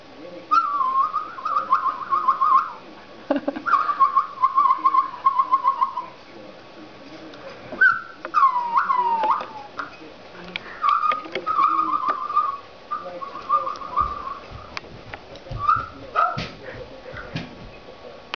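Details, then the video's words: Newfoundland dog named Bo, on his birthday, vocalizing during a Skype chat with his absent owner who was out of town; wavering high whine-like tones with falling slides come in one-to-two-second bursts, with faint voices underneath. "Newfoundland Dog Skypes"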